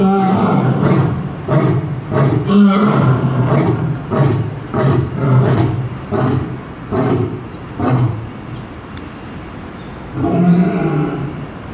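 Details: Lions at Tennoji Zoo in Japan, the male roaring and the female joining in response; series of deep grunting roars, spaced about every half second to second, fading into softer grunts before a final louder burst.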